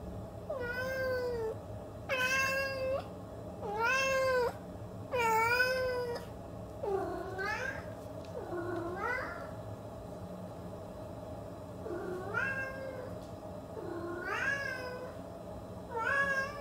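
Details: A pet cat calling insistently: a run of about eight rich, rising-then-falling meows spaced one to two seconds apart, some with a sharper upward curl, against a steady low room hum.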